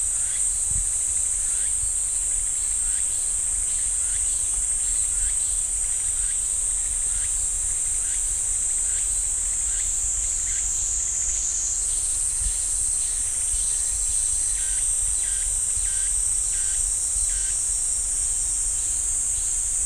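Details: Pine-forest cicadas at Ssanggyesa temple in Jirisan National Park: a piercing steady buzz that shifts slightly in pitch midway, over a run of short, evenly spaced pulsing notes.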